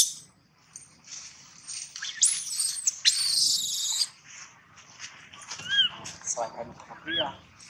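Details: A baby monkey cries loudly for a long time with harsh, high screeches followed by thin, arching wails.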